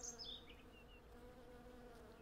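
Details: A brief stretch of honey bees humming steadily around a flowering cherry tree, where hundreds gather honey; a falling series of thin, high bird notes opens the moment over the even drone. Recorded with Zoom F6 and Sennheiser MKH 8040.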